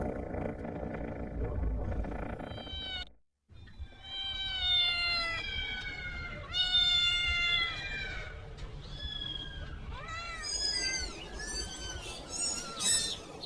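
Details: Kitten calling for its mother while among farm animals: a long series of high, drawn-out meows, some rising and others falling, coming faster and shriller toward the end, over a low background rumble after a brief silence.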